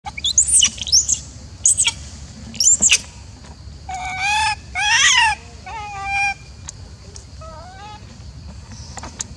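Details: Macaque Elpida, a golden female of the Maha Nokor group, sounding upset and jealous as old female Susie is fed: bursts of rising, harmonic screechy calls repeated several times, with sharp high squeaks beforehand and a low steady background hum.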